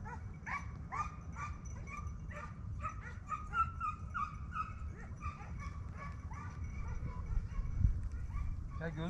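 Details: A pack of hounds chasing a hare bays steadily, with ringing barks coming two or three per second and some higher yelps in the middle. Recorded at the start of the 2023-24 hunting season, with soft background rumble.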